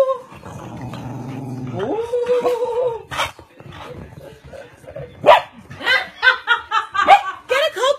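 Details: Two Cocker Spaniels in a playful spat over a squeaky ball: low rumbling growl at first, then rising whines and a run of sharp yapping barks, mixed with people talking and laughing.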